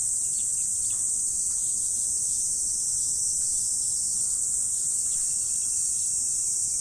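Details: Autumn morning insects keep up an even, high-pitched ringing drone from start to end, joined by faint thin chirps and a soft whistled line late on.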